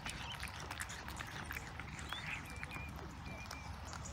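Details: Cats chewing fresh sprat give quick, uneven crunchy clicks in close succession, while thin whistled bird notes sound faintly behind them over a low rumble.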